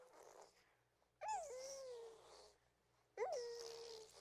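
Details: Baby hedgehog named Reese cooing: two short, faint calls, each opening with a quick upward chirp that drops into a steady, slightly falling whine lasting about a second, separated by quiet pauses.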